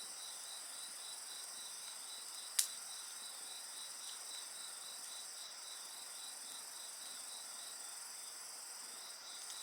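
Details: Insect voices ring on beside a bonfire, a high layered drone with a softer rhythmic chirp, interrupted by one loud crack from the fire.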